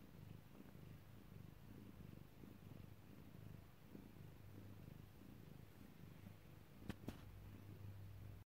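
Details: Cat in labour, giving birth, purring continuously at close range: a low, pulsing rumble that holds steady for the whole stretch, interrupted near the end by two short sharp clicks.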